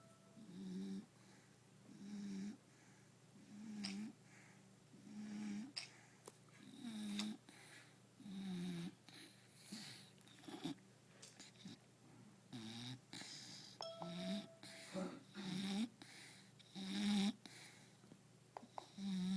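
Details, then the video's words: Napping bulldog snoring steadily, low rasping snores repeating roughly every one and a half seconds, over a background of music and scattered clicks. "Bulldog snoring"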